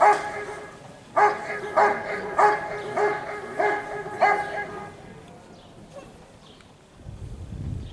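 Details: Giant Schnauzer (Riesenschnauzer) named Rick vom Lindelbrunn at a 2022 IGP CACT dog sport trial in Russia: six loud, deep, harmonic barks about every 0.6 seconds, then quieter background and a low rumble near the end.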